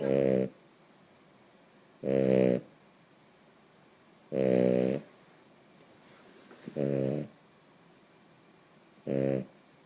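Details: A female Cavalier King Charles Spaniel snores loudly while sleeping, in low, rattling, harmonic bursts about every two seconds.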